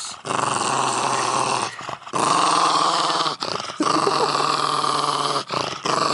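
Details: Milo, a pug, growls menacingly while eating squash indoors; long continuous rumbling growls with dense harmonics, broken by short breaths, three sustained bouts.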